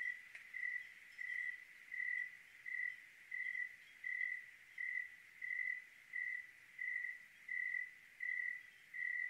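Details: Clear-night cricket in Oregon: a long, very regular run of about thirteen bright, high chirp pulses, each under half a second, repeating steadily against a quiet, still background.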